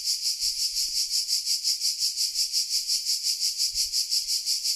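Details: Cicadas in Sardinia, Italy, at 1 pm in July 2020 during the summer midday heat: a dense, steady high-pitched buzzing drone that pulses in even waves about three times per second, with no other sounds.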